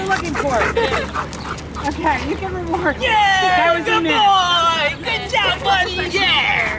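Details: Sirius, a dog being evaluated as a wildlife detection dog candidate, gives high, wavering whines with stacked overtones, rising and falling in short bursts, mixed with people talking nearby.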